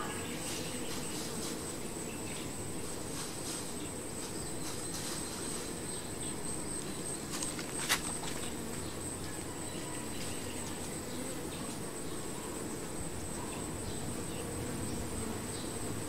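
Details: Honey bees at their hive: a dense, steady low drone with a broad band of buzzing, and a thin, constant high whine running above it. A single sharp click cuts through near the middle.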